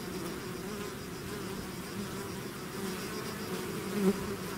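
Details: Steady, thick buzzing of a honey bee swarm leaving its hive: a continuous low wing hum with overlapping tones, gently swelling near the end as bees pass close.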